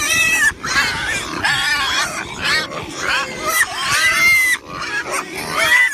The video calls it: 🐷 Pigs Sounds - Grunting and Screaming